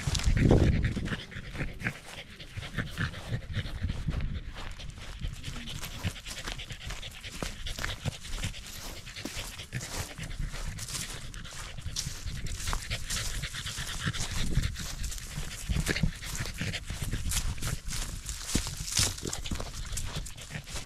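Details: A corgi out on a sunny early-autumn hike up a small rural mountain near Mt. Jinbagata, Japan, panting steadily at about three breaths per second over twenty seconds, a louder huff near the start, with soft outdoor ambience.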